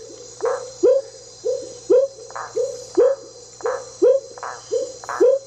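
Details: Smoky jungle frog, a single individual on the banks of an intermittent tributary of the Teles Pires River, Jacareacanga, southern Pará, Brazil: short rising whooping notes repeated about once a second, with a steady high insect hum behind.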